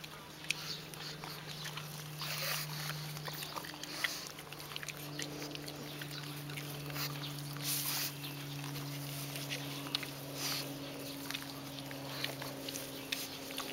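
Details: Two pugs eat grass: soft, irregular, smacking crunches and clicks over a steady low hum as a pug chews.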